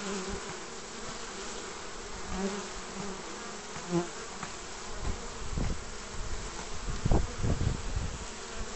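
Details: Bees crowding the entrance of a basket hive on 29 March 2014 in spring, pollen season: a continuous low humming mass of wingbeats, with several louder buzzing fly-bys near the end.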